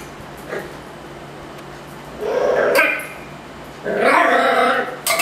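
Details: Angry at a Yakult pot, the Miniature Schnauzer Ruffus gives a faint yip, then a strained bark and a longer, loud, rough bark-whine. A quiet hum sits underneath.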